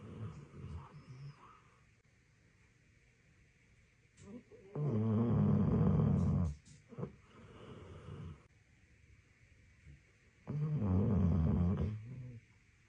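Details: Sleeping Labrador Retriever snoring: two long, low, rasping snores lasting about two seconds each, separated by quieter soft breathing.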